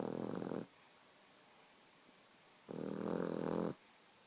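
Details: A Boxer puppy sleeping, its snores coming as coarse, buzzing rasps roughly a second long, the end of one and then a full snore after a two-second hush.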